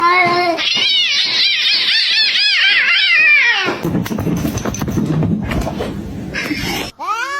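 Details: An angry cat lets out loud, wavering yowls in a rapid series of rising-and-falling arcs for nearly four seconds, then breaks into a noisy scuffle with thumps and hissing, ending with another short yowl indoors.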